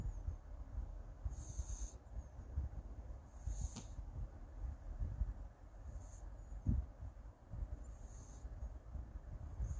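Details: Sleeping Siamese cat snoring softly, each breath a breathy hiss with a low rumble, recurring about every two and a half seconds against a quiet, low background hum.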